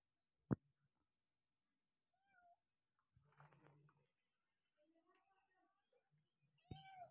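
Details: Kitten climbing a wall indoors, giving faint, short, slightly falling mews spaced a few seconds apart, with soft scratching and sharp clicks in between.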